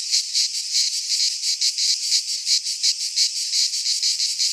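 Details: In a Greek pine forest at midsummer, cicadas produce a continuous metallic, high buzzing drone that pulses in rhythmic waves slightly under three per second, the only sound present.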